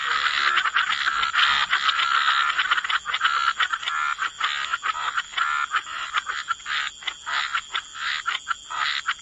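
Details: Frogs croaking near water: a dense rasping chorus that thins into separate short croaks, about one a second, toward the end.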